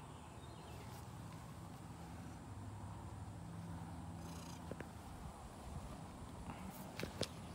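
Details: A neighbour's female cat, greeting in a garage as she does every morning, purrs in a steady low rumble throughout, with a few sharp knocks and clicks near the end over faint background hum.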